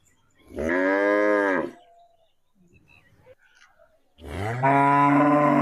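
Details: A cow reacting to a played cow sound gives a steady, rich moo of about one second, then after a pause begins another loud, sustained moo that runs to the end.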